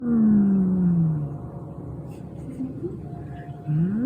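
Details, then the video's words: Chamu, a pet cat, growling like a motorbike after stealing food meant for an automatic feeder: a loud, low, drawn-out moaning growl that slides downward, fades, then rises again at the end. "ネコから異音？バイク並みにうなる ちゃむ"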